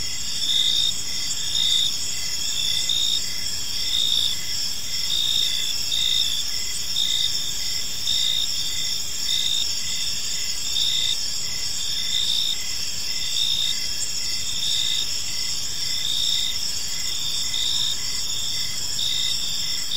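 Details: Park at evening filled with cricket chirping: layered high-pitched pulsing trills repeat steadily for the whole stretch, set against a low background rumble.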